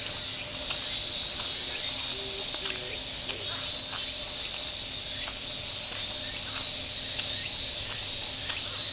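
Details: Summer cicada chorus along the jogging path of Fuchinobe Park, voiced as 'miin-miin' in unison; an unbroken shrill droning wall of sound, even in loudness throughout, over a faint low hum and a brief soft tone near the start.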